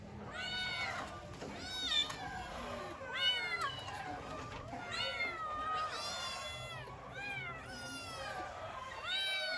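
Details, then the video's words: Several kittens crying for their mother, a dense chorus of high arched meows overlapping almost continuously, each call rising then falling, with a steady faint hum underneath. "Kittens meow so cute(The kittens wanted their mother)|kittens sounds"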